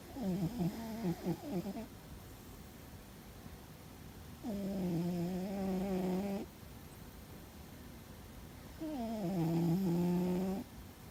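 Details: Fuzzy the cat asleep and snoring loudly: three humming, harmonic snores about every four and a half seconds. The first is shaky and pulsing, the later two are steadier and level in pitch.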